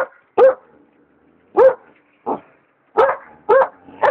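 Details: Alaskan Malamute puppy barking at a hot air balloon; loud separate barks with a rising, slightly yelping edge, about six in four seconds, spaced unevenly with quiet gaps between.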